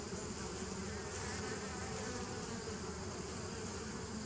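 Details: Bees, recorded 27 September 2018, give an unbroken low buzzing drone with a slightly brighter hiss swelling briefly near the start, the overall loudness staying constant throughout the short stretch.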